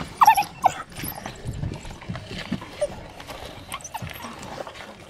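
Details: African wild dogs at feeding give a few short, high, squeaky twittering calls over a rough, noisy background.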